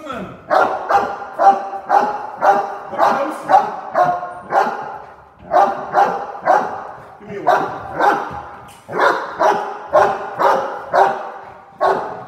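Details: Cane Corso barking during a home invasion role play, a rapid run of deep, forceful barks, roughly two per second, in bursts separated by brief pauses.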